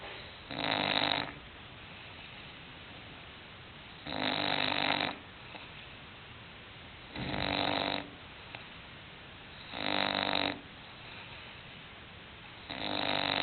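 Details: English bulldog named Hulk snoring while asleep indoors: five loud, rasping snore bursts, each about a second long, arrive roughly every three seconds, separated by quiet breathing in a small room.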